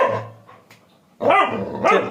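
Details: Labrador Retriever puppy barking indoors while being told in Tamil to get down and stay; two loud harsh barks near the end, after a stretch of low rumble and near silence, with a woman's voice before.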